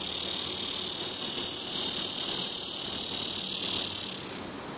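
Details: Tibicen dorsatus cicada calling from a plant beside Tibicen auriferus cicadas in a grassy patch on a hill in southwest Topeka, Kansas; a steady, high, hissing buzz that swells in loudness and then cuts off near the end.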